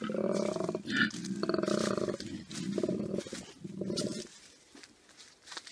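A koala gives deep, rasping, snore-like bellows in four pulsing bursts of about a second each, grunting in and out, then fading to quiet.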